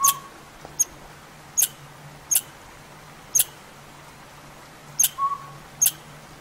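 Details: Upset squirrel in back-yard woods, apparently worried by a northern pygmy owl that has moved into a hollow tree nearby; crisp, high chips spaced roughly a second apart, with two short level whistled notes at the start and near the end.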